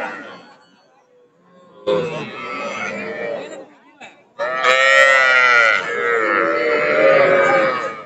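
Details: Cattle at a market in Narail, Bangladesh, on 18 May 2024, where a farmer buys small bulls and heifer calves. Two long harmonic lowing bouts, the second stretched and wavering over several seconds, with music playing and people talking.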